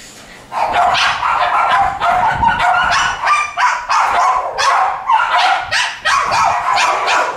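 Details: Several West Highland White Terrier puppies, male and female, kept at a breeding kennel: after a quiet half second, continuous shrill yapping from multiple pups, bursts tumbling over each other almost nonstop.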